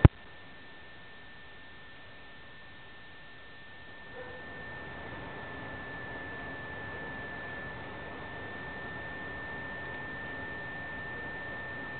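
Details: A steady electrical hum with one constant high pure tone, and faint background noise that grows slightly louder after about four seconds.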